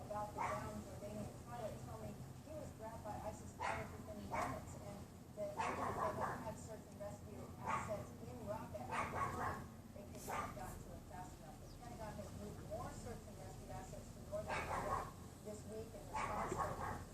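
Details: Neighbour's Pomeranian yapping behind a wooden privacy fence on a windy afternoon, 6 February 2015 around 3:18 PM, heard from a bedroom window: short sharp yaps in uneven bursts over steady wind rumble.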